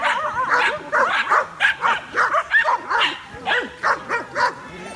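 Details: A group of dogs looking up at a drone in the sky bark in excitement and confusion; many quick high barks and yips overlap in a busy, uneven chorus.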